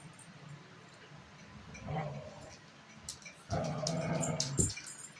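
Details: Dogs playing tug of war, growling through the game: a low rumbling growl swells near two seconds, then a longer, louder growl from about three and a half seconds to the end, with faint speech in the background.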